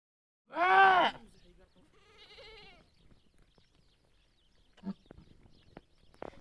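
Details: Bleating during a goat's delivery. One loud, tremulous bleat is followed by a softer, lower bleat, then near silence with small clicks and knocks.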